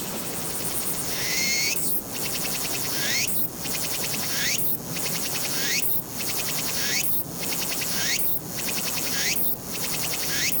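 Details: Summer song of a Walker's cicada, 22 August 2021, Nikon Z7 recording: repeated high, buzzy phrases rising sharply then breaking into fast pulses, spaced roughly every one to one and a half seconds over constant background hiss.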